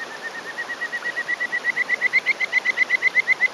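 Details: A small male Kajika frog (Buergeria buergeri), perched on a rock in rural Hōfu, Yamaguchi, Japan, on the morning of 20 May 2018, gives its territorial breeding call: a rapid series of clear whistled notes rising in pitch and loudness.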